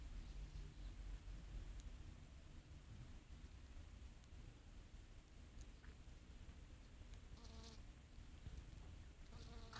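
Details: Western honey bees (Apis mellifera) foraging on flowering oregano give a low, droning wing hum that swells briefly as they fly past, over a steady windy rumble.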